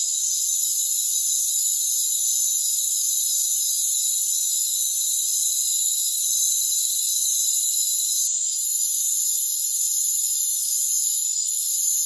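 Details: Dense shrill trilling of crickets in a rainforest, steady and high-pitched throughout, interrupted only by a short click and volume dip near eight seconds and another near eleven.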